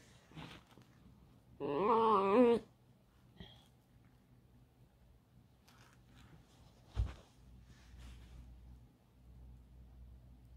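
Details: Alice, a domestic pet fox that is moulting and sniffing about indoors, lets out a loud, wavering, whining cry lasting about a second. A single sharp knock comes later in an otherwise quiet room.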